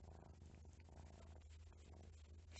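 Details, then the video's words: Domestic cat purring steadily in a deep, unbroken rumble of contentment while grooming itself, lying beside its owner with three cats, 8:45 in the morning, 12 September 2020. "Jak mruczy. Szczęśliwy kotek to mruczy."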